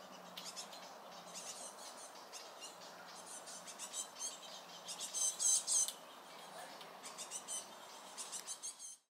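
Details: A little red squirrel defending itself at its nut supply, making a loud racket when another squirrel draws near: high-pitched, scratchy squeaking chatter in quick clustered bursts, loudest around the middle, then trailing off.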